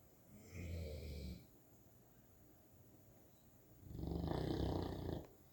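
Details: Sleeping St. Bernard puppy snoring, with two drawn-out, low, grating breaths roughly three seconds apart, the later one stronger, separated by near silence.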